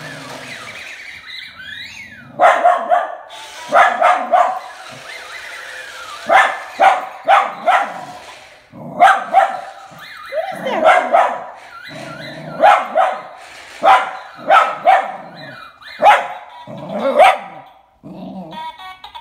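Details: Pet dog barking at a Star Wars mouse droid toy: repeated sharp barks, each a brief vertical burst, in clusters of two to four about every one to two seconds, some with a whiny yelping edge, over a faint background hum.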